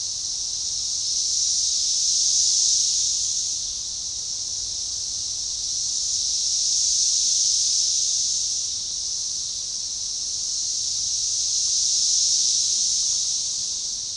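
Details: Synchronized chorus of Magicicada tredecassini periodical cicadas at a forest edge along a baseball trail near DeValls Bluff, Arkansas, June 7, 2015; a dense high buzzing swells and fades in unison roughly every five seconds.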